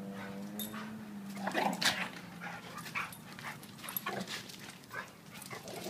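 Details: Two dogs play wrestling, a 7-year-old blue/red pitbull named Duke and a 7-month-old German Shepherd named Lucy; a steady low growl holds for about a second and a half, then gives way to scuffling, snorts and short sharp noises.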